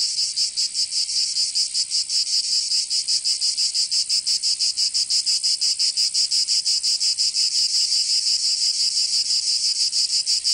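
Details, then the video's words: Cicadas singing in summer in Provence, southern France: a dense, shrill high buzz throbbing in steady pulses about three times a second, unbroken for the whole stretch, with no other sounds. "Canto Cigarra"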